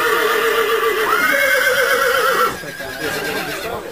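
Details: Polish Coldblood horse, a yearling or two-year-old, at the seventh breeding horse show of southern Podlasie in Jasienówka, Poland, on 11 July. A loud, sustained whinny with stacked harmonics lasts about two and a half seconds, then fades into quieter crowd noise.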